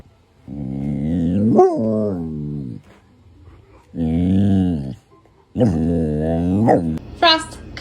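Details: Pet Samoyed howling at home in three long, drawn-out bursts, each a wavering tone that swoops and slowly falls, with people talking briefly between them.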